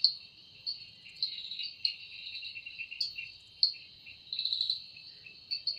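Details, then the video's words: Evening in the forest with cicadas, the sound credited to their wings: a high continuous whine broken by repeated pulsing swells and sharp ticks, several insect voices layered together. "Woundering voice of Cicada"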